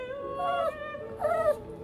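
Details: Seventeen-year-old Shih Tzu with a brain condition, protesting and sulking after a stuffed toy was placed to stop it bending its head too far: two drawn-out, tonal whimpers with a rising-then-falling whine, the second higher; faint music beneath.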